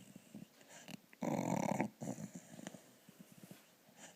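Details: A sleeping dog snoring indoors: one long, rough, rattling inhalation lasting about half a second stands out, followed by softer, shorter snorts and breathy puffs in a quiet small room.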